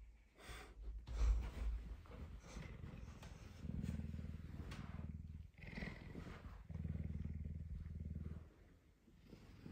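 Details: Messi, a tame puma, hungry and eager for breakfast on a Tuesday morning, up earlier than usual and especially affectionate; deep, rumbling, pulsed purring in two long bouts, with a person talking softly.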